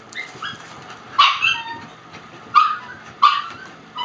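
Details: Shiba Inu puppies playing and running through a house: scattered high, short yips and barks spaced about a second apart, with soft background noise.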